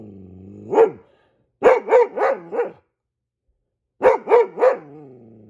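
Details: Goldendoodle barking like a guard dog when he sees squirrels: eight sharp, loud barks in three bursts of one, four and three, separated by short silent pauses.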